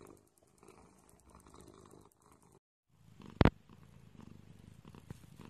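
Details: Purring cat heard as a faint low rattling rumble, broken by a brief silent gap and one sharp loud click, then a steadier, slightly stronger purr resumes.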